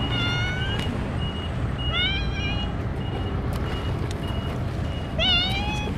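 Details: Stray cats gathering in numbers to be fed Ciao Churu treats: three clear, tonal, slightly rising meows spaced a couple of seconds apart over a low rumbling background with steady intermittent beeps.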